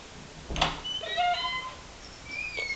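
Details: Hungry pet cat named Chocolate, impatient while waiting for his food, gives a short, slightly wavering meow with clear harmonics, preceded by a brief knock and followed by faint higher tonal squeaks in a quiet indoor setting.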